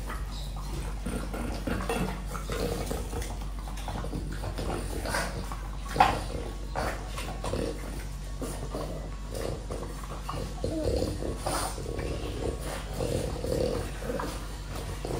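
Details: Apple being eaten by a French Bulldog indoors; moist chomping and snorty breaths repeat irregularly, with one crisp bite standing out about six seconds in, over a quiet low hum.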